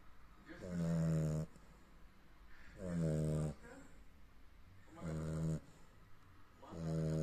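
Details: Sleeping Cavalier King Charles Spaniel snoring: four loud, low, droning snores with a buzzy, tonal quality, each lasting about a second and coming roughly every two seconds, with quiet breathing between them.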